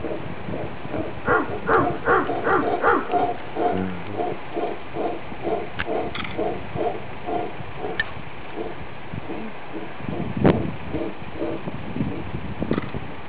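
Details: A couple of howler monkeys in Nicaragua, 2013, trading howls with a guide who imitates them: a run of loud, rough, harmonic barks repeated about every half second, then scattered deeper calls, with faint music in the background.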